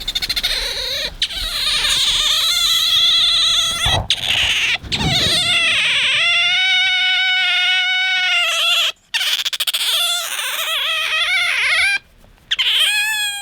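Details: Bingo, a pet otter wanting attention and affection when a hand is offered, lets out long, sustained, whining squeals with rich harmonics, held for several seconds at a time with brief gaps between them.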